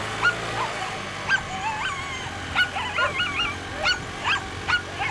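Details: Female Whippets at a 2019 race, second heat; excited high-pitched yelps and wavering, rising-and-falling whines repeat roughly every half second, with faint background hum.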